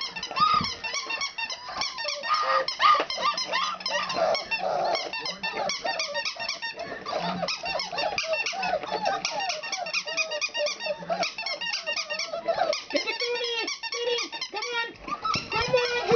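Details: Country puppies, four weeks old, squeaking and whining nonstop indoors: many short arched squeals overlap in a steady chatter, punctuated by a few longer drawn whines and soft low grumbles.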